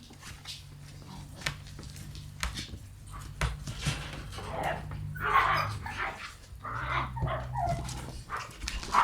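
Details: Black female Shiba Inu puppy born 10 January gives a few short yelping barks and whines midway, over a steady low hum and scattered clattering knocks.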